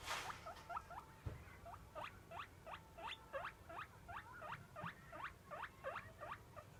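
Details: Guinea pig named Roko calling at feeding time to beg for food, a pet that calls like this at every daily meal: rapid series of rising squeaky wheeks, about three per second, steady and unbroken.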